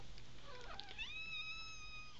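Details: American Bobtail kitten, one of a litter of five about three weeks old, gives a sustained high mew that rises then holds steady for about a second; a faint earlier squeak precedes it, with low steady hum beneath.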